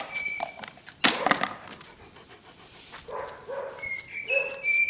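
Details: Azerbaijani Caucasian Shepherd Dog Pələng, one year and one month old: a sharp knock, then a short burst of soft barks, with bird whistles throughout.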